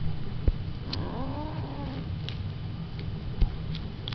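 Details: Pet female cat talking back to its owner, wanting to take a feather toy along; one drawn-out wavering meow over steady low hum and a few clicks.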